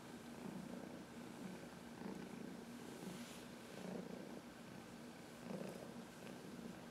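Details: Quiet purr from Heidi, a 14-year-old adopted senior cat, pressing herself against someone's knuckles for a massage; a gentle low vibration pulsing in slow, uneven swells over faint room hiss.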